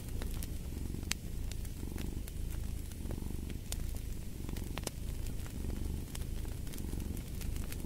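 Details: A cat purrs in a deep, even rumble, breath cycles swelling and fading roughly every second, with fireplace crackles and occasional loud pops in the background.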